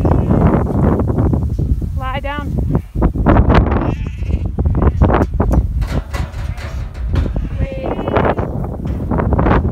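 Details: Sheep being sorted by the sheepdog Bart, which is backing them: one quavering, wavering bleat stands out early on, and a shorter bleat comes near the end, over trampling hooves, rustling, wind and a human voice.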